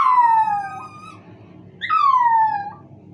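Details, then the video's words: Miniature Pinscher pet dog named Pulga howling in response to the noise of a squeaky toy: two drawn-out, clear howls, each about a second long, sliding downward in pitch, separated by a short pause. "Pulga howls to squeaky noise , pulga uiva!"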